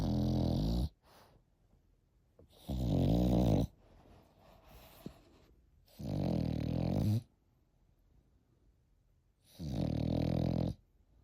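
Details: Steady snoring from an eight-month-old Frenchie, four harsh, rumbling snores spaced about three seconds apart, each roughly a second long, with soft breathing noises in the pauses.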